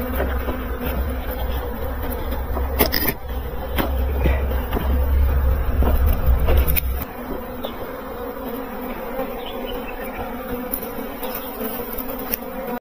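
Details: A continuous buzzing drone of bees, steady and tonal, with low rumbling handling or wind noise during the first seven seconds, then a cleaner hum.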